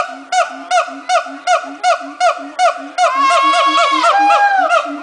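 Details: Monkeys at Miami zoo making noise: a steady series of short honking calls, about two and a half per second, then louder wavering, rising and falling harmonic calls overlapping in the last two seconds.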